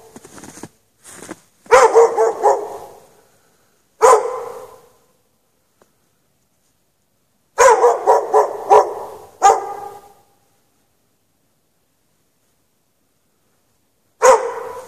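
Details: Several hours chained in the snow at night without shelter, a dog lets out scattered barks and short volleys, with long silent stretches between them.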